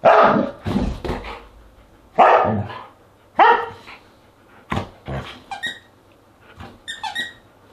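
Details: Siberian Huskies at a dinner party on August 10, 2022, with a run of quick irregular barks and yips, then higher, tonal whining notes near the end, recorded indoors.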